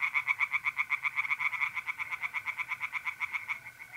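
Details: A night pond in north-east Italy in mid-April. Tree frogs sing a rapid, unbroken run of pulsed, rasping croaks, about four per second, loud and close throughout.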